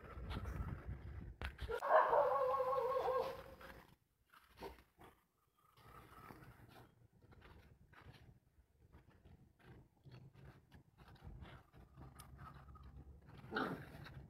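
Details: Dog letting out one drawn-out, tonal whining cry lasting about two seconds near the start, then long quiet stretches with soft rustles, faint clicks and a brief low sound at the end.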